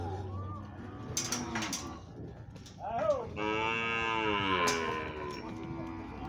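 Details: Sixteen Nelore cows auctioned as one lot in Monte Aprazível, São Paulo, Brazil, on 9 January 2021 at 3 pm; a quiet low moo gives way to a loud, rising, drawn-out bellow, with brief clattering noises.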